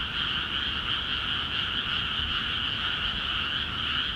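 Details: Rice-field frogs in Akiha Ward, calling busily once the paddies were filled with water; countless overlapping croaks produce a continuous buzzing chorus with no gaps.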